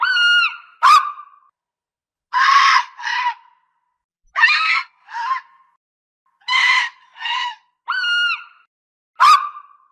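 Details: Fox calling with a mix of harsh raspy screams in pairs and clearer, strained yelping notes, about a dozen calls spread over the recording with short silent gaps.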